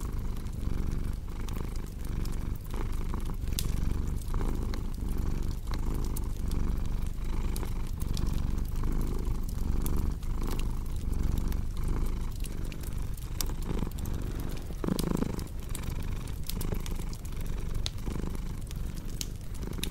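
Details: Long stretch of steady low purring from a cat, its rumble pulsing with each breath, set against continuous crackling and occasional louder pops from a fireplace.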